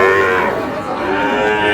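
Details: Sahiwal bull calf at a cattle market in Noakhali on 8 May, a farmer buying: a drawn-out, harmonic lowing moo fills the whole stretch, wavering slightly in pitch, with faint crowd murmur underneath.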